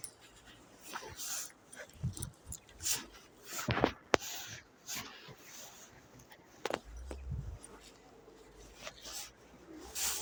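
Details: German Shepherd playing in its first snow, giving a few short, sharp yelps or barks near the middle of the clip, mixed with rustling, handling noise and faint human voices.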